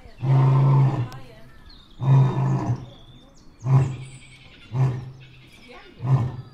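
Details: A white male lion at a wildlife park, in bright sun, gives a full-throated roar: deep, throaty bursts that grow shorter with each repeat.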